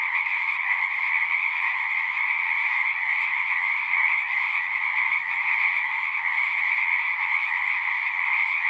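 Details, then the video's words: Pond frogs in a horse pasture, recorded on a Zoom recorder, keep up a thick, pulsing chorus of overlapping trills at high and middle pitch, steady and unbroken, with faint low background murmurs. "Frogs singing"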